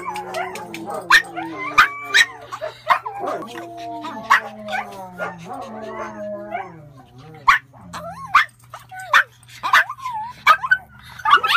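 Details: Several small Pomeranians vocalizing together: overlapping high, sliding howl-like whines that rise and fall, with sharp yips and barks breaking in throughout, some louder bursts near the end.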